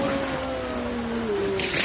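A sea lion gives a drawn-out, tonal moan that slides slowly downward in pitch.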